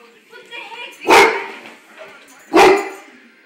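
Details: A big brown dog, scared of his own image in a mirror, gives two sharp, loud barks about one and a half seconds apart, with a faint human voice murmuring in the background.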